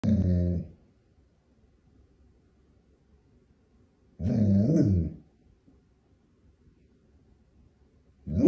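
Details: Pet dog trying to get its owner's attention to negotiate for treats, indoors in a small room; two drawn-out, throaty, grumbling vocalisations about four seconds apart, each lasting under a second, with a third starting at the end.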